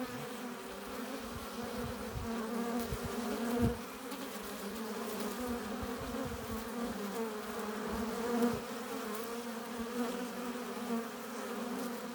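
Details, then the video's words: Steady hum of honey bees at the hive entrance, foragers returning with pollen and nectar; layered droning tones hold evenly throughout, with brief swells where single bees pass close. "15 minutes of bee hive entrance! Relaxing sounds! Buzzing sound efects"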